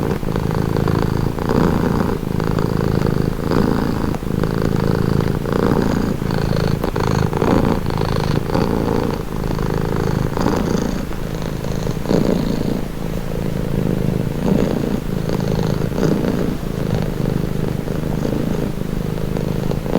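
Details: Continuous contented purr of a domestic cat, low and buzzing, with regular breath-paced pulses every one to two seconds and faint light clicks above; shared as a relaxing, calming sound.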